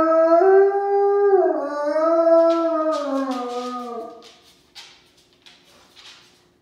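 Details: Gray wolf (Canis lupus), howl.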